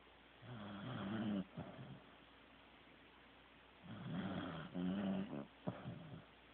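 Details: Corgi Teddy snoring in his sleep: two long rumbling snore breaths with a low buzzing tone, about three seconds apart, each ending in a soft snort.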